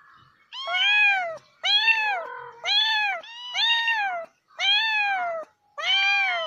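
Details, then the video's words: Domestic cat meowing in a rapid series of six arched, harmonic-rich meows, each under a second long and spaced about one second apart, rising then falling in pitch, with a softer overlapping lower meow between the second and third. "CAT MEOWING SOUNDS | Realistic Cat Sounds"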